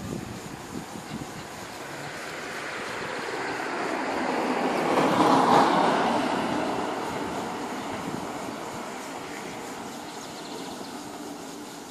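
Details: Rushing, train-like rumble swells to a peak midway and then fades, with no animal sounds.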